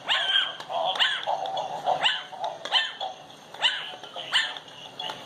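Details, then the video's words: A 10-week-old Chihuahua puppy barks at a dancing Christmas toy dog: high, sharp yaps repeated in quick uneven bursts, with some whiny, wavering notes between barks, about six main barks in five seconds. "Chihuahua Barking"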